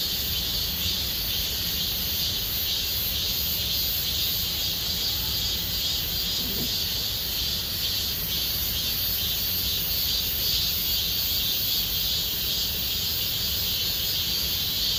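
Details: Summer cicada chorus in Gomsol Nuri Forest, Sihwa district: an unbroken, shrill, buzzing drone that stays high and even for the whole stretch, over a soft low background murmur.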